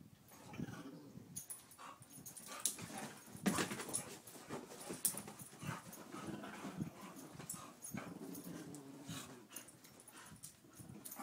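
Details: Two dogs, a two-year-old Pit Bull and an eight-year-old Chihuahua, playing together; low rumbling growls and soft whiny tones come in short bursts, mixed with scuffling, thumps and sharp clicks of movement.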